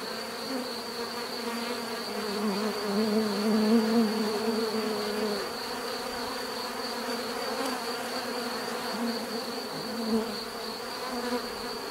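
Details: Natural buzzing of bees: a low droning hum that rises when one insect passes close for a few seconds, then settles back into a softer, steady background buzz.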